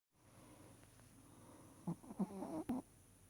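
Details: A sleeping puppy snores softly indoors, a few short breathy snore bursts close together near the end after quiet low breathing, with a faint steady high hum in the background.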